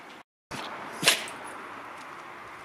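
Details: Harry, a pet Border Collie, sneezes as smoke from the yearly district grass burning fills the garden; a single sharp, breathy burst lands about one second in over a steady airy hiss.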